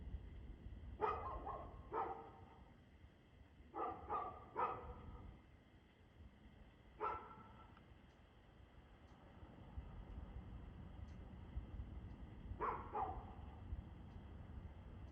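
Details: Barking dog recorded 2/6/2024 at 6:02 pm: short, harmonic barks, some single, others in fast pairs or triplets, separated by pauses of several seconds, set against a continuous low rumble and a steady hum.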